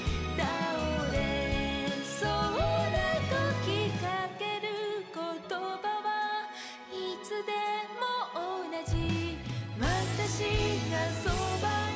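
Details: Only music is heard, with layered instrumental tones and a sung melody, and no animal sounds.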